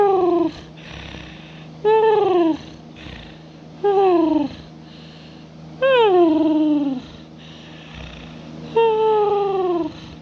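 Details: Pet cat snoring and purring while asleep indoors: squeaky, descending tonal whines, each about half a second, repeated roughly every two seconds over a steady low hum.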